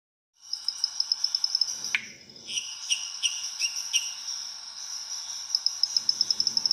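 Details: Lime treefrog (pererequinha-limão) calling in coastal restinga, Rio de Janeiro, Brazil: short bright pulsed notes in a quick series midway, over a steady high shrill chorus with rapid ticking.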